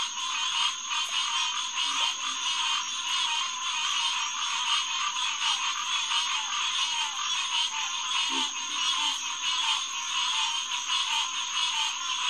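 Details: Green tree frog chorus at Headquarters Pond, SMNWR, evening of June 2, 2021: loud, dense overlapping calls repeating about ninety times a minute, with a short lower croak near eight seconds.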